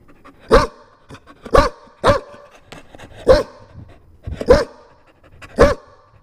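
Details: A Chow Chow puppy gives very loud, sharp, high-pitched barks at irregular intervals of about one second.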